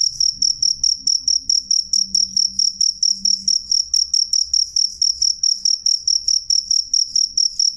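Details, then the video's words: Clear, loud cricket chirps, a bright high trill broken into short even bursts, roughly three to four each second, continuing steadily, with faint low background noise. "suara jangkrik jernih keras"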